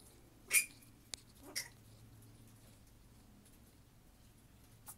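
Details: Flying-foxes in a minicreche aviary where three-month-old female pup Sequoia is being raised alongside other young and mothers with pups; two short, harsh, broadband squawks, the first strongest, then a faint click and a soft late squeak over quiet room hum.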